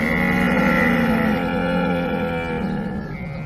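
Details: Camel giving a long, loud, throaty bellow with dense gurgling pulses and harmonic tones, steady for over three seconds before easing slightly.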